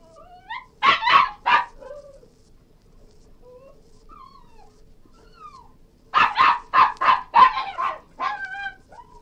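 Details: Cairn Terrier yelping in two quick bursts of rapid barks, with thin, sliding whines in the pause between them.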